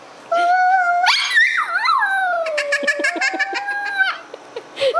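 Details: Pet pup howling indoors together with a young child: long wavering tonal howls that rise and fall, then a string of short yips and whimpers, ending with a brief high cry.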